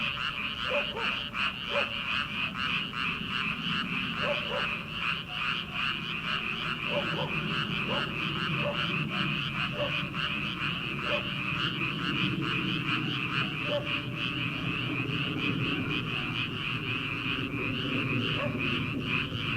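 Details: Early-summer frog chorus rising from rice paddies ahead of transplanting, many voices overlapping into a steady rattling wall of pulses, while deeper short croaks pop out irregularly about every second or two.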